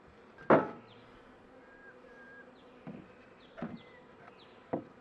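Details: Honey bees of a struggling overwintered hive colony close to spring give a continuous low, even drone; a loud wooden thump opens, several softer taps follow, and short descending bird chirps sound faintly in the background.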